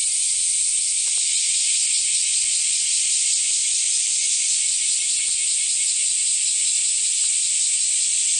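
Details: Cicadas in summer 2008 at Kiyomizu Temple, Kyoto, Japan, fill the air with a steady, high, hissing drone that never lets up.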